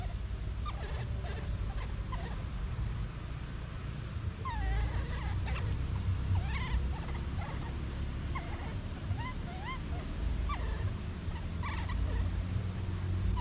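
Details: Young monkey separated from its mother, crying repeatedly: short, looping, quavering cries rising and falling in pitch, scattered through the recording with soft clicks and taps, all above a constant low hum.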